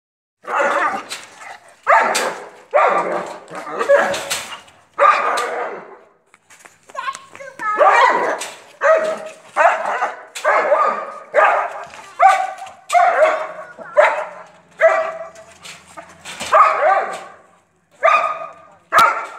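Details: Long-coated German Shepherd barking steadily: deep, harsh barks in quick bursts of two or three, repeating about once a second for most of the stretch, with a short pause near seven seconds.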